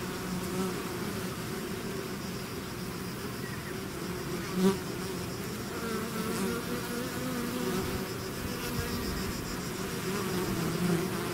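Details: Bee swarm out of its hive: a steady, dense drone of many wings, low humming bands with a brief louder pass as a single bee flies close near the middle.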